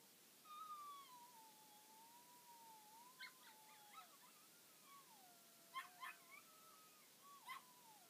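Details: Toy poodle giving a long, thin, wavering whine that slides slowly up and down, broken by a few short, sharp higher yelps near the end, over a quiet background hiss.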